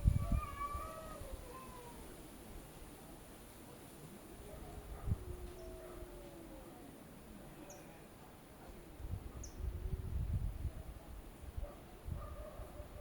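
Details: Cats arguing with each other: repeated wavering, moaning yowls that bend up and down in pitch through the clip, with a steady low rumble of background noise beneath.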